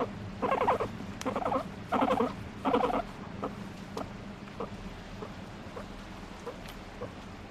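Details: Pet guinea pig calling to demand petting, squirming with delight: four short bursts of rapid squeaky chattering in the first three seconds, then sparse faint ticks over a steady low indoor hum.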